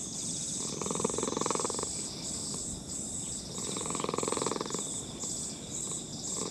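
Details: Grandpa-aged brown-and-white cat purring under a person's hand in a park. Strong pulsing purr in roughly one-second waves alternating with quieter breaths, over a continuous high insect chorus.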